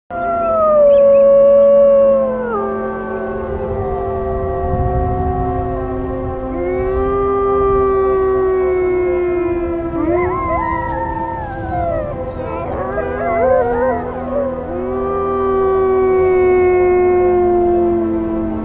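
A wolf pack howls together, long mournful notes sliding up and down and overlapping in chorus.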